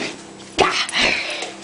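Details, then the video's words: Angry Dachshund giving two sharp, harsh bursts, the first loud and abrupt, the second half a second later, in a small indoor space with low background noise. "Angry Daschund"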